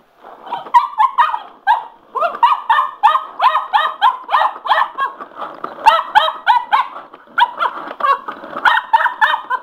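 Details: Sugar, a male Cocker Spaniel, goes wild over a spinning mop: a rapid, uneven volley of sharp, high yapping barks, several per second, running almost without pause, with laughter and a person's voice nearby.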